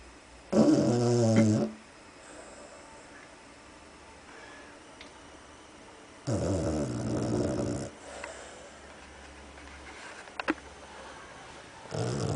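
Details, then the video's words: Sleeping pet dog snoring indoors in the dark: loud, rasping, buzzy snores lasting about a second and a half, spaced roughly five to six seconds apart, with quiet breathing and faint room noise between. "I love it when my dog snores!"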